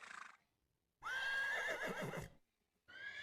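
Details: Horse neigh played as a teaching example of animal sounds: a loud, whinnying call about 1.3 seconds long with a high, wavering tone, framed by brief speech before and after.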